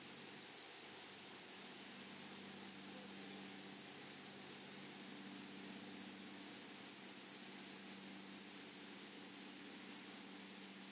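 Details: Continuous high-pitched insect trilling from grasshoppers in flowery prairie grassland, a bright sustained buzz with rapid, slightly uneven pulses over eleven seconds against quiet, faint low background.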